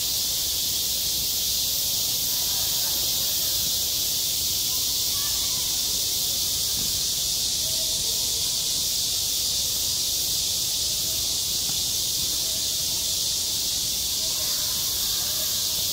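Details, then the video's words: Midsummer cicadas singing at a school playground, self-recorded: a steady, sizzling high buzz that fills the whole stretch without a break, over a faint low rumble. "한 여름 운동장에서 매미가 울고 있다 - 여름의 소리, 학교 종소리, 매미 울음소리"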